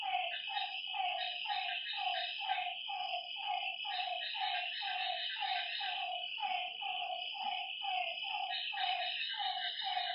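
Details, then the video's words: Frogs calling at night by a lakeside: mid-pitched, throaty notes repeated several times a second in an overlapping chorus, over a steady high-pitched insect drone. "Lakeside night creatures and frog sounds"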